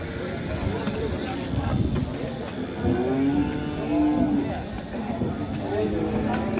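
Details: Huge sacrificial bull coming down off a truck, several steady droning moos one after another, with people talking, a vehicle and music behind.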